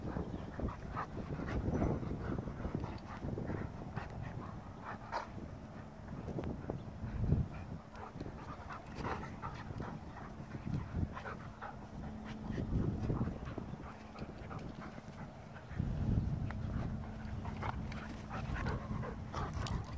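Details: Goldendoodle named Farfel and Bernese Mountain Dog Utley playing together; rapid, breathy panting in quick irregular bursts, about four per second, rising and falling in loudness with low rumbling scuffles throughout.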